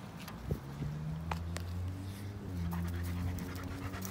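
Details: German Shepherd named George, two and a half years old and over 90 lbs, enjoying a walk; soft breathy panting bursts with a few sharp clicks over a steady low droning hum.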